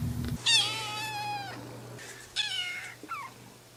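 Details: Kittens meowing: a long, slightly falling mew of over a second, then a shorter one and a brief downward squeak, with a low hum underneath.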